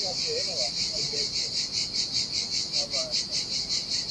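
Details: Sea-side cicadas in Sardinian summer heat: a shrill, pulsating buzz beating about two and a half times a second, with faint warbling sounds early on and the soft wash of surf on a lonely beach.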